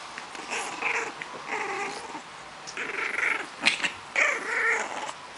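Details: French Bulldog puppy making a run of harmonic, growly grumbles and whines, several drawn-out bursts each lasting about half a second, with short gaps between them.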